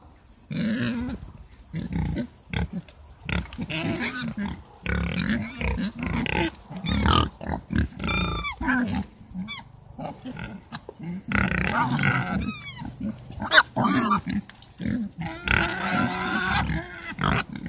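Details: A Mangalica pig herd at a garden nursery gives deep, irregular grunts and snuffles in clustered bursts, with a few short, high, falling chirps from another source around the middle.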